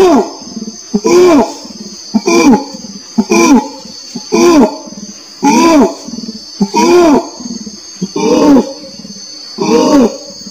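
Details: Repeated orangutan calls, about nine arched, harmonic hoots over ten seconds at an uneven pace, each swelling up and sliding back down, with faint low grunts between and a steady high whine behind.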